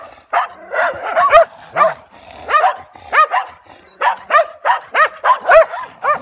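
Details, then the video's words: Barking from a German Shepherd facing stray dogs: quick clustered barks in uneven bursts, with a brief low growl near the start and harsh, repeated yaps to the end. "Nemački Ovčar Vs Dzukele"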